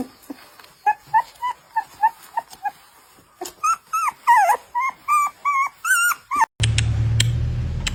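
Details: Young puppies playing and dozing off: rapid bursts of high, wavering whimpers and yips, several per second, growing busier and more warbled midway, then cut off by a burst of broad rustling noise.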